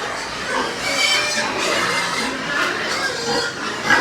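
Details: Pig farm in Nepal with white pigs. Many animals squeal and grunt together, making a continuous, crowded wash of harsh, noisy cries without pauses.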